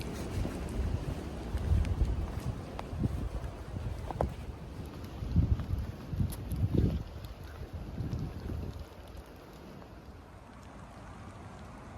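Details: Low rumbling wind buffeting the microphone, with water and boat-like noise, and no animal calls.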